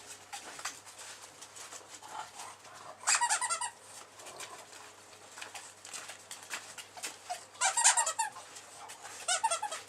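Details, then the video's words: An 8-week-old male bulldog puppy snoring in its sleep. High, squeaky, whistled nasal bursts come at about 3, 7.5 and 9.5 seconds. Soft, wheezy breathing fills the gaps between them. "Snoring Bull Aken"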